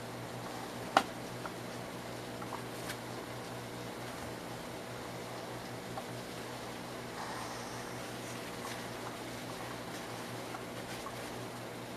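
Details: Steady indoor hum like a fan, with a sharp click near the start and a few faint knocks. No animal calls can be picked out.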